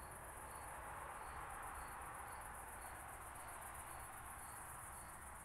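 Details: Oak bush-cricket at Starnberg, Germany, 18 July 2023, picked up through a Pettersson D 100 ultrasound detector: short, even ticking bursts roughly twice a second over a steady hiss, with a fainter high continuous whine.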